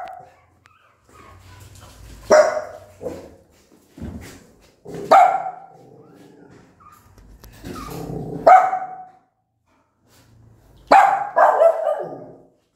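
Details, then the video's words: Mother dog, angry, barks at her newborn puppies; four loud abrupt barks spaced about three seconds apart, separated by quieter rumbling and soft shuffling noises. "Why Are You So Aggressive And Barking For So Long?"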